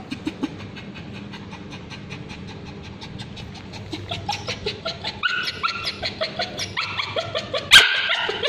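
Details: Male Bichon Frise dog with scabies, screaming while a babysitter applies ointment to his tail; short yelping cries at first, then louder, higher, harmonic-rich screams from about five seconds on, with laughter around.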